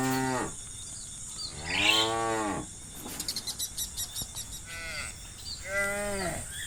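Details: Cattle in an open pasture in late afternoon calling their friends home to the barn; three drawn-out harmonic moos with a gap between, and a rapid insect-like chirping in the background midway.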